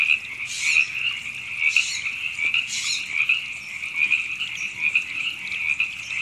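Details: River frogs in April 2017 at Temescal Canyon Park, Los Angeles, California, forming a continuous high trilling chorus, overlaid by louder raspy bursts near the start and individual chirps standing out every second or so.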